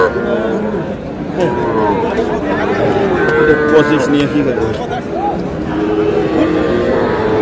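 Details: Young bull and heifer calves at a busy cattle market, bought by a farmer from Comilla on 12 May; several low, wavering moos overlap amid steady human talk and market bustle.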